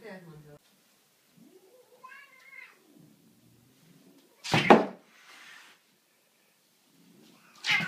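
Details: Domestic cat attacking a broom indoors in a small room: harmonic meows, one rising then falling wail, and a low drawn-out growl, broken by sharp broadband thumps and scrapes from the struggle.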